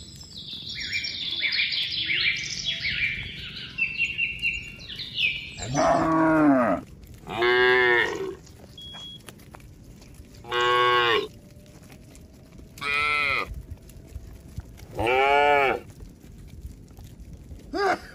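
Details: Tame farm cattle walking as a herd along a mining road to a green village: twittering birdsong at first, then five long, rich moos spaced one to three seconds apart.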